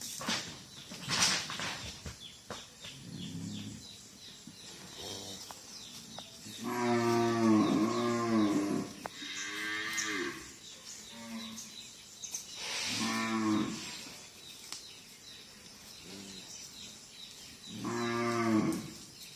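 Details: Cattle lowing outdoors near an oil palm plantation: several deep, drawn-out moos with strong harmonics, one longer bellow rising and falling, separated by pauses, with rustling and other background noise.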